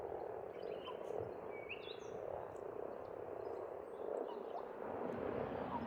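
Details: Spring pond chorus of frogs in Estonia: a steady, churning mass of croaks throughout, with a few thin rising bird whistles and chirps over the top.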